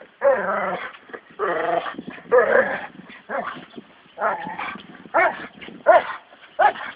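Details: Training session with American Staffordshire Terriers Brunó and Shába: about eight separate barks in seven seconds, some drawn out and growly, others short and yippy, spaced irregularly.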